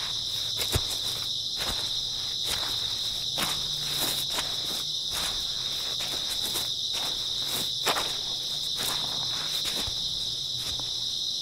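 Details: Early autumn night chorus of grass insects: a continuous shrill trilling band throughout, overlaid by frequent crisp footstep crunches and a couple of louder thumps.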